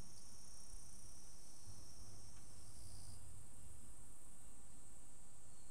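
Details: Evening cicadas (higurashi) just after the rainy season ends, unusually singing alongside a Japanese bush warbler: a steady, shrill high-pitched ringing chorus, with a lower sustained band that stops partway through, over soft low rumble.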